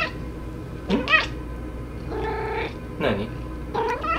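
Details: Domestic cat talking back in protest indoors: a rising-and-falling yowl near the start, then a longer nasal, steady meow, followed by two shorter bent meows, each call separated by brief pauses.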